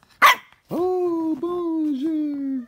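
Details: Male solid blue French Bulldog puppy answering as it is taught to say hello in French: after a brief sharp burst, a long, steady, tonal howl-like vocalisation with a slight dip near the end, preceded by a person saying "bonjour".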